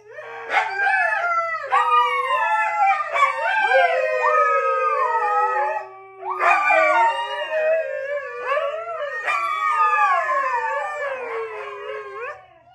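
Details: A group of four Siberian huskies in a sustained chorus howl: overlapping voices rise sharply and then waver and droop. The pack restarts with new swells about every three seconds before fading out at the end.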